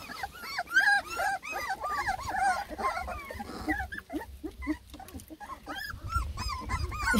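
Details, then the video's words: Ten lemon and tricolor Beagle puppies from one litter complain while trying food for the first time: a busy chorus of arched, high whines and yelps, overlapping and rising and falling, with low rumbling handling noise underneath. "A lot of COMPLAINING!! Ten BEAGLE PUPPIES give food a try for the first time!"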